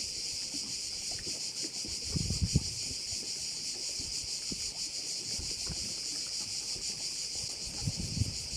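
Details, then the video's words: Crickets heard over a bay on Korčula, Croatia: a dense, unbroken, shrill high-pitched drone from many insects, steady throughout, with low rumbling gusts of wind or passing boat noise rising around two and eight seconds. "view of one of the bays in Korcula with sounds of crickets"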